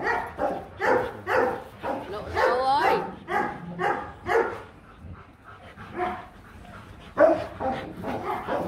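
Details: The male Rottweiler pursues the female during mating in Hanoi, Vietnam, and the female resists. There are repeated yelping barks, a sliding whine partway through, then quieter, sparser barks under people's speech.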